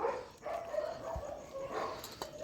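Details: Shelter dog at night feeding time, giving faint, drawn-out tonal whines that waver for about two seconds against a hissy background, with a brief low thump midway.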